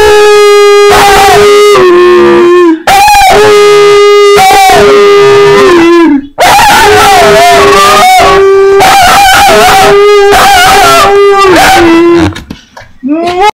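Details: Pet dog singing for a treat, producing long sustained howls held on a steady pitch, sliding down at the ends, in phrases of about three seconds with brief breaths between, loud and close.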